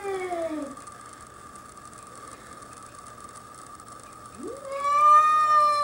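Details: Domestic cat facing a young bobcat that wandered onto a deck in Whistler, British Columbia: a falling wail trails off at the start, then a long, rising, sustained yowl builds near the end against a constant background hum.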